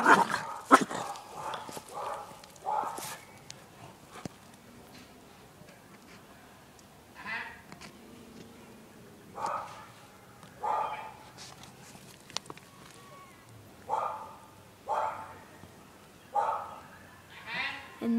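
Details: Small pet dog barking at the neighbouring dog next door, a run of quick barks, then single harsh barks repeated roughly every second or two, with a person talking softly at times.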